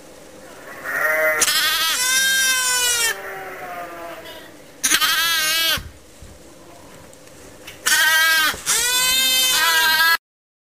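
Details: Orphaned lambs kept together in a pet lamb pen for regular feeding and care, calling in three strong quavering bleats separated by softer, lower cries from other lambs.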